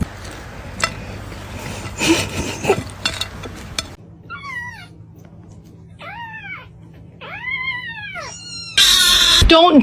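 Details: Kitten calling with three drawn-out, arched meows roughly a second apart, each rising then falling, over a steady low hum; the first half is busy with music, thumps and noise, and a loud burst closes it.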